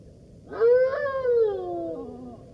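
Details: A single golden jackal howl, a smooth mournful note that swells, wavers slightly near its peak and glides down in pitch toward the end. No other sounds intrude.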